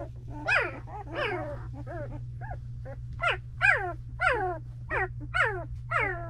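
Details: Two-week-old Belgian Malinois puppies from Misty's litter in a whelping box give high, harmonic whines that slide downward, about ten separate cries over six seconds, over a steady low electrical hum.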